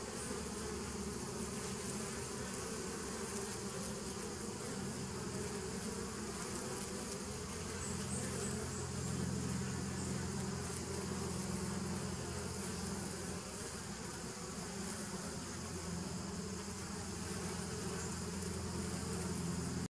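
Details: Droning of bees from a 2017 nuc, dated 27 September 2018: a constant deep buzz made of overlapping tones, shifting slightly in texture but never pausing, with a light background hiss.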